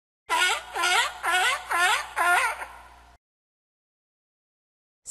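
A sea lion gives a run of five hoarse, honking barks, about two a second.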